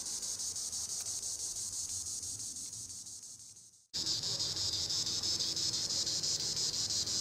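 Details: Tibicen linnei, the green annual cicada, calling from the treetops: a shrill pulsing drone that slowly fades, breaks off into a short silence, then returns at full strength and throbs on.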